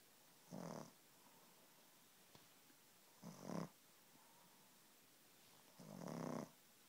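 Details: Six-month-old pug snoring while asleep indoors: breathy, rasping snores lasting under a second, three of them spaced about three seconds apart, otherwise quiet.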